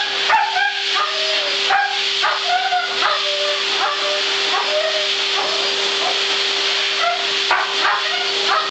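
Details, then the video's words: Siberian husky at the groomers, vocalizing in reaction to a blow-dryer. A string of short, wavering whines and yelps, each rising and falling, comes roughly every half second over the dryer's loud, steady roar and whine. "Howling Husky"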